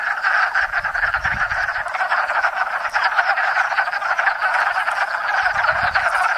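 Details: Loud close chorus of wood frogs (Lithobates sylvaticus) breeding at a small pond in Enosburgh in spring, countless clucking croaks blending into a continuous rattling din, with brief low rumbles.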